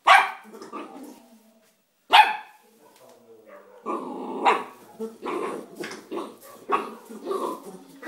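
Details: Bull Terrier puppy, three months old, barks while playing with a rock: two sharp barks, then a run of quicker, rougher barks and growly yaps, about one every second.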